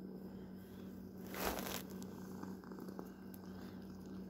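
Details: Close low purring from a house cat, a quiet steady rumble interrupted by a brief loud rustle or fabric scrape just before the halfway point, then faint clicks.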